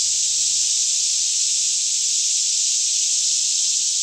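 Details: Cicadas in a lush Kentucky woodland near Franklin, singing as a daytime chorus around 10am while the air is still; a constant piercing electric-sounding drone, unchanging, over a faint low hum.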